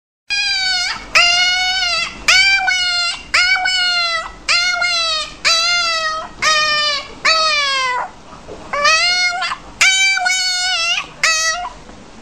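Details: A puppy whining steadily indoors: high, nasal whines with a rich ladder of overtones, each about half a second to a second long, some bending upward or sagging at the end, repeated roughly once a second with short pauses.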